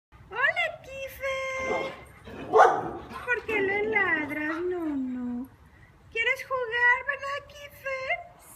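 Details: Kiefer, a neighbour's dog left alone all day, visits wanting to play; drawn-out high whines with rising and sliding pitch, several in a row, mixed with a woman speaking Spanish to him.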